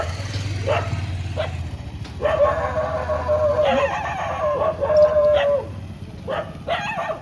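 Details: Several street dogs in Molachur village near Chennai, Tamil Nadu, bark and yelp in quick bursts, with drawn-out howling barks over a low background rumble.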